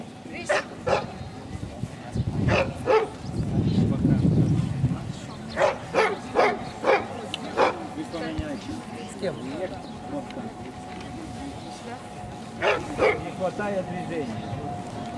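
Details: Central Asian Shepherd Dogs at a club breed show in Krasylivka, Kyiv, on 28 September 2019, junior females class. Loud, sharp barks come in irregular bursts, some paired, over a murmur of voices and a steady hum.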